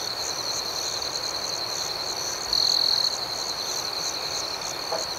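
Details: Crickets chirping at night in a rural outdoor setting: a steady high trill holds one pitch throughout, swelling louder for about half a second mid-clip, over a fainter pulsing higher band and a broad hiss of background insect noise.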